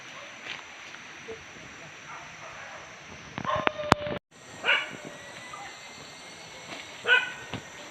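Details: Dogs hunting wild boar pests in Padang Pariaman: scattered distant barks over steady background noise, a sharp click and brief dropout near four seconds, then two louder, ringing barks toward the end.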